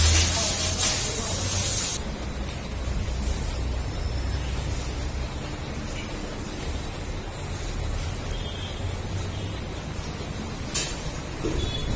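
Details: Loud outdoor farm noise with rushing spray-like hiss, a brief burst at the start and murmured voices, without any distinct animal call.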